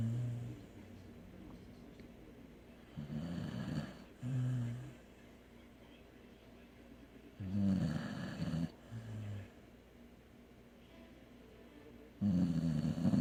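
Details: Sleeping dog snoring in low, rumbling bursts, each breath a rough drone lasting about a second, with quiet pauses between and a louder snore at the end.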